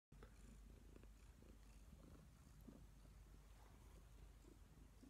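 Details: Neva Masquerade cat, a colourpoint Siberian, purring at home: a low, continuous rumbling drone with soft faint rustling on top.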